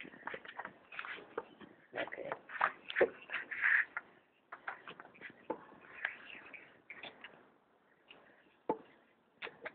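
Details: Pet striped hyena cub at feeding time, giving rapid high squeals and whining cries in quick irregular bursts, with clicking and shuffling handling noise in a small indoor room.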